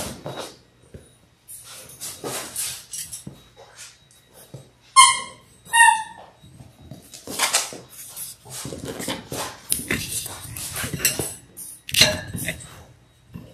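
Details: Six Labrador Retriever puppies in their sixth week, born January 18, 2022, on an indoor puppy cam; brief high, harmonic whimpering yelps near the middle, set among scuffling, pattering paws and clicking room noises.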